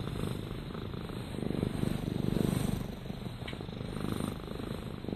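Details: Rama, a domestic cat, gives a soft continuous rumbling purr with fine rapid pulses and gentle swells.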